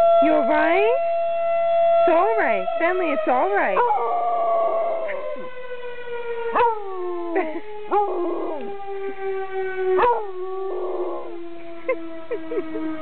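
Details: Benny, a pet basset hound who has just learned to howl, answers the fire department's siren: wavering, rising-and-falling howls break in repeatedly over a steady, slowly descending siren tone that runs throughout.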